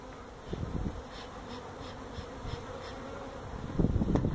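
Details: During removal of a feral honey bee hive from a tractor tire at a citrus orchard in Mission, Texas, a continuous colony hum sounds under repeated thumps, with louder rustling bursts in the final second.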